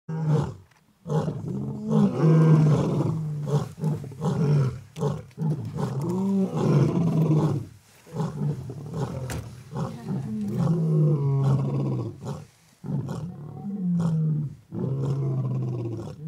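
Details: Stage II lions at Antelope Park roar together in deep, rumbling bouts, long moaning calls broken by brief pauses.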